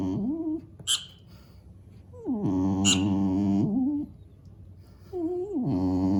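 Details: Dog grumbling at a tablet mouse game for cats, disliking its squeaks and not chasing the on-screen mice. Three drawn-out moaning whines, each rising at the start and bending at the end, separated by short gaps, with brief high game squeaks.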